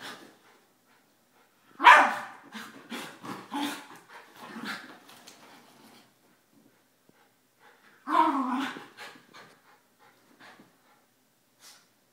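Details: Three pet dogs, an 11-year-old Miniature Schnauzer named Einstein, a 9-year-old female Basset Hound named Suzi and a 2-year-old Yorkie named Emma, playing rough during a morning routine; two bursts of harsh barking and growling separated by quiet.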